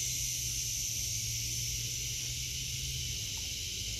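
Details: In an August 2023 garden, cicadas produce an unbroken, even, sizzling high drone, with a faint low hum underneath.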